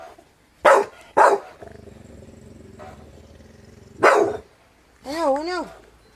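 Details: Brian, a Staffordshire Bull Terrier, barking at a strange noise: two sharp, loud barks close together, a pause with a low steady hum, then a third bark; a person speaks briefly in Spanish with a wavering voice at the end.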